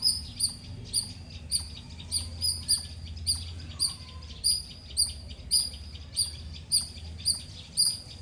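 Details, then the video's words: Squirrel repeating short, shrill chirps at a fairly even pace, a little over two per second, each note sharply cut off, over a steady low rumble of background noise. "Loud Squirrel ❤️ Chirping Sounds - Squirrel Lovely sounds 🐿 | ఉడత అరుపులు మీరే వినండి.."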